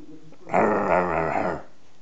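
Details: A 4-month-old Lhasa Apso pup growls while facing off against a hamster, one steady harmonic-rich growl of about one second, quiet room around it.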